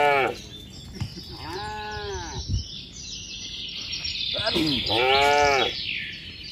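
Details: Tame cattle herd walking along a mining road toward a green village from a cattle farm; two arched, harmonic moos about a second apart, over steady hiss and faint background voices.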